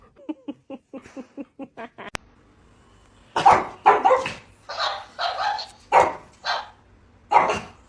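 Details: Dog filmed for a funny pet compilation: a quick run of about eight short, soft yips, then a string of loud, harsh barks, singly and in clusters, indoors with no other sounds competing.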